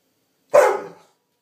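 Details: Ten-month-old female dog barking because she is hungry: one sharp, loud bark about half a second long, with silence on both sides.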